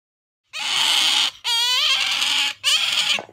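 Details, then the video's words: Sakura, a female pet otter kept indoors alongside a cat, calling out for jerky: three loud, shrill, harmonic squeals in quick succession, the middle one wavering and pulsing, filling about three seconds with no other sound. "カワウソさくら ジャーキーに対しての愛が止まらない！ A collection of the nonstop love of Sakura the otter for jerky!"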